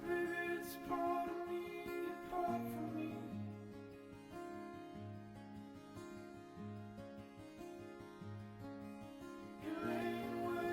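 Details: Gentle plucked-string music with a steady repeating pattern fills the recording, and no animal voice is heard.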